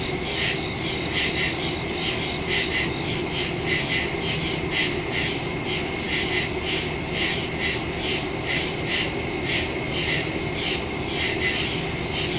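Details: Woodland crickets calling after dark on September 2, 2023, captured by phone with a stereo mic: steady high-pitched pulsing chirps from many insects, a brief brighter burst near the end, and soft distant low-frequency rumble.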